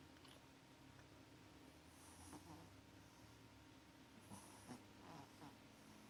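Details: Maxi the cat snoring while asleep and having sweet dreams; soft breathy snores come in short bursts roughly every two seconds over a steady low indoor hum.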